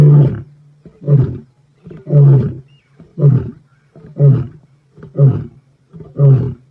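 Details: Black Dam male lion in Kruger, 14 November 2025, closing a roar with a series of short deep grunts, about one per second, seven in a row, steadily repeated.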